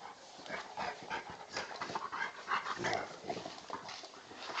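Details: Old English Bulldog puppy weighing 10 kg play fighting with a 40 kg male Bullmastiff cross; short rough grunts, snuffles and yips come in quick irregular bursts amid scuffling.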